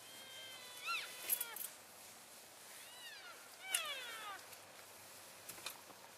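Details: Elk in a herd on February 3, 2012, keeping in touch while moving from one grazing area to another: three faint, high mewing calls arching up and down with bright overtones, spread over six seconds above a steady hiss.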